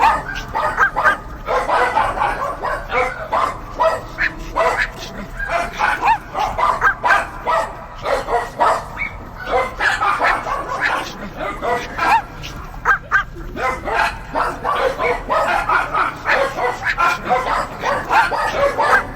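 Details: Several dogs barking together in a dense, overlapping chorus of short sharp barks and yips, bursts coming in quick clusters with brief lulls around nine seconds, steady throughout.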